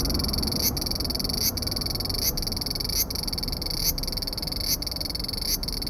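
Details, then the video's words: Large brown cicada singing while hidden beneath a branch of a loquat tree: a dense, continuous sizzling buzz, with brief dips roughly every 0.8 seconds throughout. "セミの鳴き声２～アブラゼミ～Large Brown Cicada"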